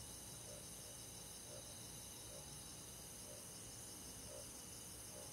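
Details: Crickets and other forest insects on a summer night in the countryside, a steady high shimmering chorus of overlapping pulsed trills, with a faint low rumble beneath and soft intermittent clicks.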